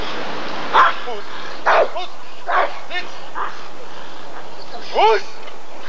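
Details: Rottweiler at the 1994 ADRK Körung breed survey, giving five loud, harmonic barks at uneven intervals over about five seconds, the last one the strongest, with human speech and crowd noise throughout.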